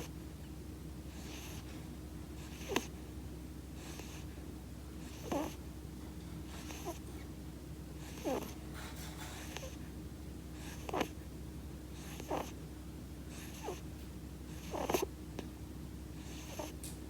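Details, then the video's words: Munchkin kitten with a bad nose, possibly a slight cold, snoring; soft breathy snorts recur every one to three seconds over a steady low hum. "いびきをかくマンチカン子猫 snoring munchkin kitty"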